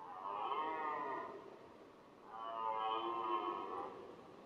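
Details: Red deer stag roaring during the rut, a male that also decorates its antlers with grass and branches; two long, drawn-out, harmonic bellows of about a second each, separated by a short pause, with a quiet background.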